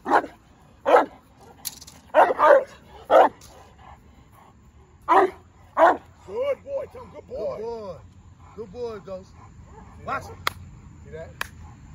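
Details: Presa Canario in its first defense drive training: a few sharp, deep barks in quick pairs, then quieter wavering, whining tones and scattered clicks toward the end.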